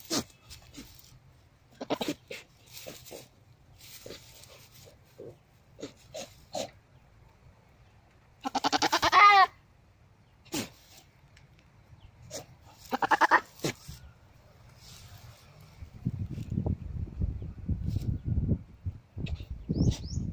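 A goat gives a loud, wavering bleat as a mating call, among scattered clicks and knocks.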